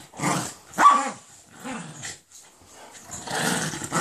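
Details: Bad-tempered Jack Russell Terrier attacking a Doberman for being on his bed, loud harsh snarling barks and growls in rough bursts with short gaps, ending in a noisy scuffle.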